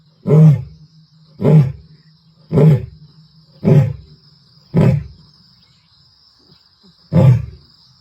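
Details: Lioness of the Ntsevu pride, recorded 29 March 2024 in the Kruger/Sabi Sands area, gives a powerful series of deep grunting roars, six low bursts about one second apart slowing toward the end, with a faint steady hum behind.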